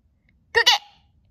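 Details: A small dog that barks loudly or softly to match its owner gives one sharp, loud, two-part yappy bark, high and brief, in a quiet room.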